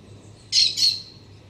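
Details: A black-tufted marmoset at a sunlit Citharexylum myrianthum trunk in a garden on a mild autumn day. It utters two loud, shrill, high squeaky notes in quick succession, with near silence around them.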